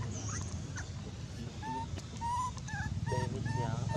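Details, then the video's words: Abandoned monkey crying loudly: a handful of short, clear whistled wails, some arching or dipping, scattered through the second half over steady low rumbling background noise. "Million pity abandoned monkey was crying very loud with reason!"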